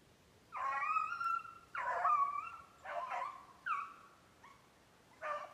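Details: Maine Beagle trailing snowshoe hare, 7/14/19. Baying comes in spaced bursts about once a second: two long, quavering cries, then shorter, sharper bays, with pauses between them.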